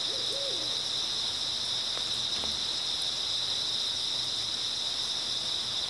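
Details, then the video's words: A continuous, high, buzzing shimmer of grass insects chirping on an early autumn night, steady and unvarying, with one brief low hooting note near the start and scattered faint ticks. "초가을 밤부터 새벽까지 백색소음 풀벌레 소리"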